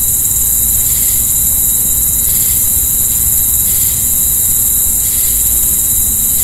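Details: Crickets at night keep up a constant high trilling hum while brief brighter pulses swell about every second, set against a noticeable low rumble resembling distant traffic.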